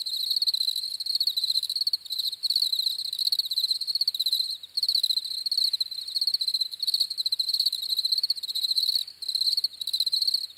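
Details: Shrill chorus of crickets, rapid pulsing chirps running in bursts of a second or two separated by short gaps, with a thin higher overtone and a quiet background.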